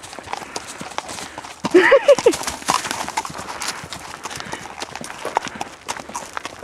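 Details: Female horse set loose in a forest, exploring freely: irregular, crisp clip-clop hoofbeats tapping unevenly across the recording, with a brief burst of squeaky tonal sounds near the middle.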